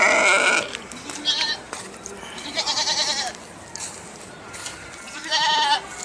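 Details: Sheep bleating in short bursts: four brief, wavering, nasal calls spread over six seconds with quiet gaps between, one longer tremulous bleat in the middle, over light background hiss.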